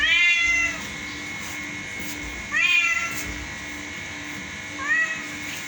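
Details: Cat said to be singing, with three clear meows about two seconds apart. Each is high and rising-falling, with the last one shorter. A steady faint hum is in the background.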